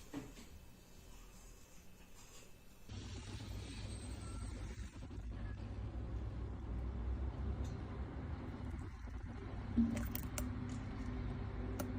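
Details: Indoor low hum and rumble with faint traffic-like noise and a few soft knocks, with no animal calls.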